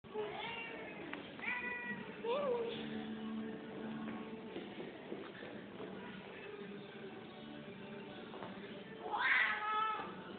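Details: Angry female cat growling with long harmonic-rich wails and low rumbles, closing with a sharp rising yowl near the end.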